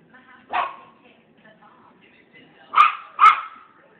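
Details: Confused Maltese puppy yipping at its own mirror reflection as if at another puppy. One bright yip is followed after a pause by a quick pair of louder, ringing yips.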